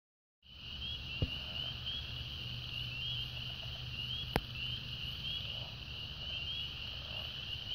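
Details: A dense frog chorus in a branch, recorded 2/4/16, forms an unbroken, high-pitched shimmering trilling drone with a faint upper shimmer over a low rumble, broken briefly by two sharp clicks.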